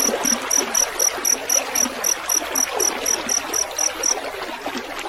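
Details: Field cricket recorded with the sound of trickling water for songbird tutoring: bright, thin chirps in a quick even series of about four per second, fading out near the end, against a steady babble of water.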